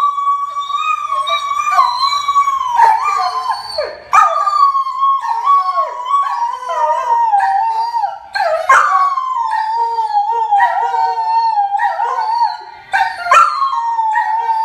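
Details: Greyhound dog howling: one long, drawn-out, wavering howl with rich overtones. It slowly sinks in pitch and is broken by short breaths around the fourth and ninth seconds, with little other sound behind it.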